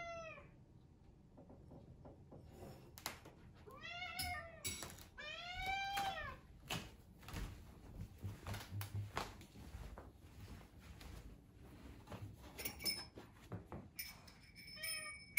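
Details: Rescued British Shorthair cat meowing for breakfast: a burst of quick falling meows early, then mostly clatter and knocking indoors with a faint high tone near the end.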